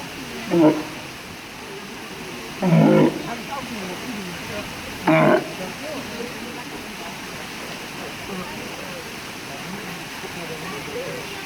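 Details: Three brief, raspy walrus grunts in the first six seconds, then only a noisy, rumbling background with faint murmuring sounds.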